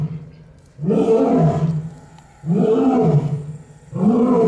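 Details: Barbary lion held at Olomouc Zoo roaring in a steady series: three heavy, throaty groans roughly every one and a half seconds. Each one surges loud, then sags in pitch before the next begins.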